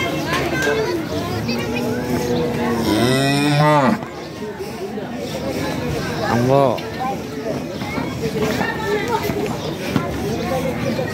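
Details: Cattle bought for Qurbani at the weekly Jamalpur market in Bangladesh, on a Saturday. The animal gives one long, rising, strained moo, then a shorter moo a few seconds later, over steady talking, background music and busy outdoor noise.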